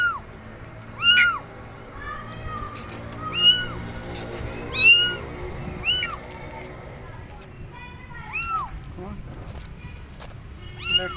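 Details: Abandoned kittens on a gate meowing loudly, calling for their mother cat: repeated rising-falling meows every second or two, some overlapping, with faint clicks and background hum.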